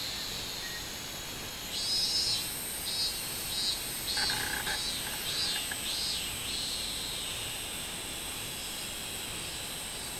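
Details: Minmin cicada song recorded on 24 July 2016. It starts after a hush and builds into rhythmic, surging high buzzes that repeat several times, then settles back into a constant shrill insect background.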